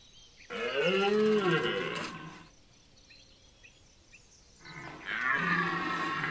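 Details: Red deer stag bellowing during the September 2021 rut at Chambord, France: two long, hoarse, harmonic-rich roars about two seconds each, separated by a quiet gap with faint background sounds.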